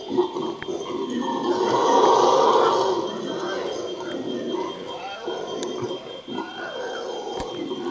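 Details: A howler monkey, recorded 20 March 2014, gives a deep, rasping roar that swells loudly, then fades into rough grunting.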